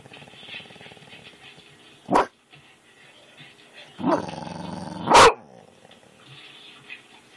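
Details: Kane, a pet dog reacting to dog videos, recorded on an Android phone: a low, buzzing, pulsed growl runs steadily under the clip, broken by two sharp, loud barks, one near the middle and a stronger one near the end.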